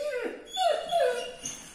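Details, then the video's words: Greater Swiss Mountain Dog begging for bread indoors, giving short high whining whimpers that rise and fall, two main cries about half a second apart, with a woman speaking Italian just before and after. "GREATER SWISS MOUNTAIN DOG/Asking A Bread"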